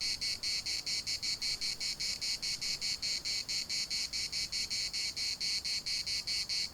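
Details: Cicada chorus recorded in Larnaca's municipal park: high, dry buzzing chopped into quick regular pulses, about four each second, unbroken for the full length.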